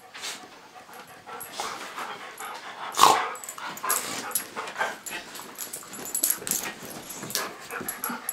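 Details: Cosmo the pit bull puppy play-fights with golden retriever Bailey, his big brother; quick rough growly snarls and scuffles tumble over one another, peaking in a sharp burst near the start.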